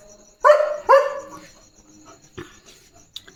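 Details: German Shepherd dog barking on evening guard duty at a farm, protecting his area: two sharp, loud barks in quick succession, then quieter knocks and rustles, with a faint high insect drone throughout.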